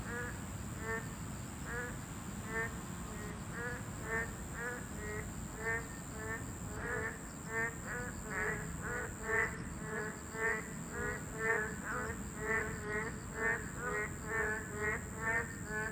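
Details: Boreal digging frogs, a Class II protected species, in chorus at their habitat: many overlapping nasal, harmonic bleats, roughly one a second, pulsing steadily throughout, with low background rumble and a steady high whine.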